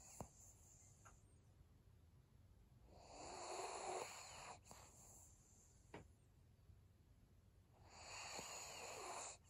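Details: Senior pug Maria dozing on 7 February 2022, giving two raspy snoring breaths about five seconds apart. Each is a buzzy, wheezing rush of air, with small clicks and snorts in the pauses between.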